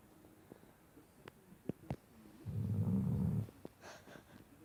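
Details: Poppy, a Shar Pei pup, asleep at the foot of a bed indoors, lets out one long, loud, low rasping snore lasting about a second, preceded by a few soft clicks and snuffles, then quiet breathing.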